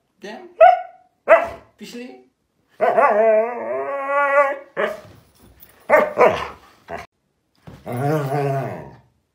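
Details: Hyperactive Siberian Husky indoors giving a string of short sharp yelps and barks mixed with longer warbling, talking-like howls, the longest lasting about two seconds, ending with a sliding moaning cry.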